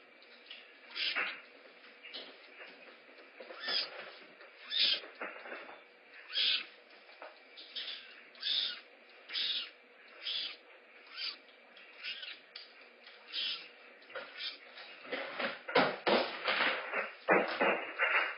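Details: Two young rehabilitation kittens at a big cat rescue calling while waiting for breakfast: short, bright, chirpy cries repeated roughly every second and a half, growing louder and more crowded toward the end.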